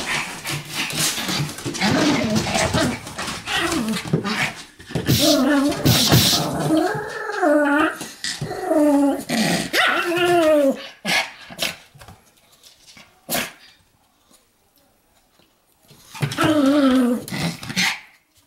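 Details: A Pomeranian seems to be "lecturing," grumbling and yowling in long, wavering, rising-and-falling vocal bursts, almost like talking.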